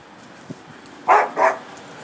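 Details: Dogs boarding at a home dog-sitter's in Jerusalem, playing together in a backyard: two short, loud barks close together near the end, over a faint background.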